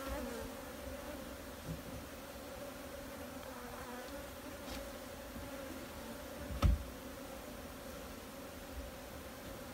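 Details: Continuous even hum of many honey bees over nearly ten seconds, low and steady with an upper overtone, a low rumble beneath and a single sharp tap partway through.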